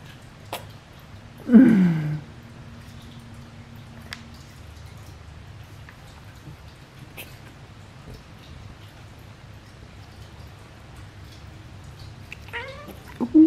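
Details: A Persian cat gives a single short meow indoors that slides downward in pitch, followed by faint clicks, soft taps and a few brief higher sounds near the end over a low room hum.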